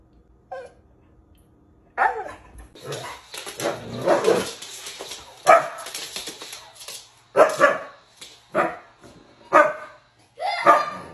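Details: Moon, a Siberian Husky playing at home with his dad, barks in loud, ragged bursts about every one to two seconds, with harsh broadband barks and brief yips between them.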